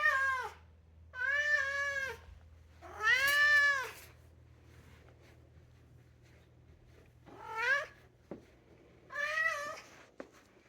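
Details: Indoor two-year-old European polydactyl Maine Coon meowing in a sing-song way: three long, bowed meows close together, then a pause and two shorter rising-falling meows, over a faint low hum.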